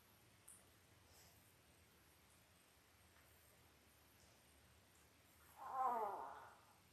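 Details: Labrador Retriever puppies five days old from Belle's eight-pup litter, filmed on a live puppy cam: near-silence broken by one wavering, harmonic whine lasting about a second near the end.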